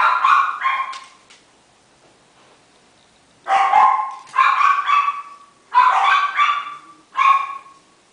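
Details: Miniature Schnauzer pup, male, 28 days old, salt and pepper, bred in Shizuoka: a yelp, a silent gap, then a rapid string of insistent high barks, some doubled, about one per second.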